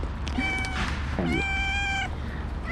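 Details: Loud meowing from a female calico stray cat being fed after a snowy day, apparently trying to tell the feeder something: two long, steady, tonal meows, the second longer, over low outdoor rumble.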